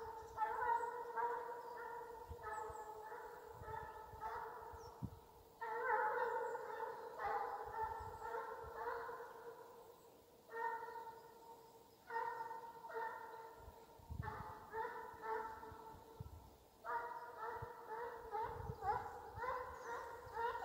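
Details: Russian hound on the hunting chase in Ivanovo Oblast, Russia: rapid series of short, resonant, bell-like bays in clustered runs separated by brief pauses, with low thumping noise underneath.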